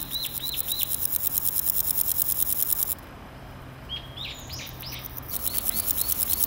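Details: Singing male naki-inago grasshopper in a grassy spot, its hind legs rubbing on its wings: an even, rapidly pulsed rasp lasting about three seconds, a pause full of falling bird chirps, then the rasp returns.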